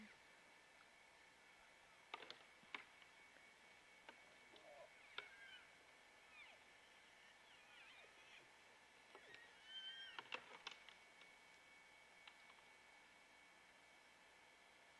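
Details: Bull elk in the rut, wrestling at close range: sharp clacks of clashing antlers ring out through the clip, and high whistled, sliding bugle notes rise and fall near the ten-second mark over a steady background hum.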